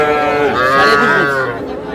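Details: A single calf's drawn-out moo at a Madaripur cattle market, Bangladesh, where young bull and heifer calves are sold; the bellow swells and slightly rises mid-call, then fades, over a murmur of people talking.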